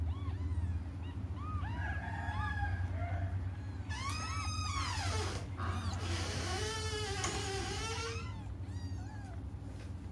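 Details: Several cats crying as they wait for their mother, calling over one another in repeated arched meows, swelling into a dense, loud chorus midway and again soon after, with a constant low hum underneath.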